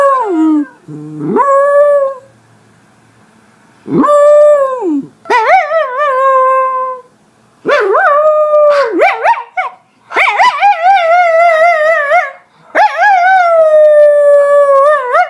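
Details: Howling West Highland White Terrier: a dipping, whining opening, then a series of sustained howls lasting one to two seconds, some bending upward and wavering, with short gaps between them.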